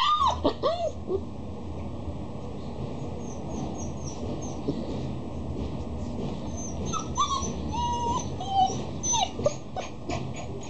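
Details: Female Akita dog from Mexico whimpering: high, thin, bending whines in short clusters, some rising then falling, over a steady low hum of background noise.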